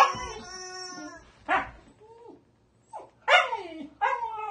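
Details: Leif, a 2-month-old Siberian Husky puppy from Winnipeg, Manitoba, Canada, plays with his favorite rubber chicken: a long, steady squeal from the toy, then short, sharp, falling yelps and howl-like cries in three bursts.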